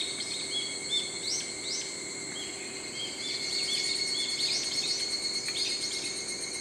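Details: Evening cicada, the higurashi of Japan, which chirps in early morning and evening: rapid, high, ringing chirps repeating about three times a second, over steady shrill insect drones.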